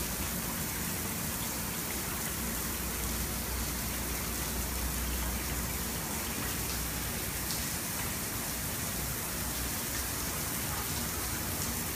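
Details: Heavy, continuous rain hisses across the entire recording, with no animal voices.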